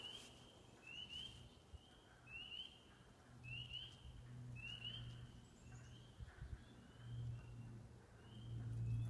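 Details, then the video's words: Spring peepers calling in a spring woodland where ducks are also present: quick, high, upslurred peeps in a loose chorus, several overlapping, over a steady low hum and soft background rumble. "Ducks and Peepers and?"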